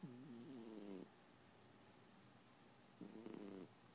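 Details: Snoring house cat, sound asleep: two buzzy, harmonic breaths, the first about a second long with a wavering pitch, the second shorter after a two-second pause.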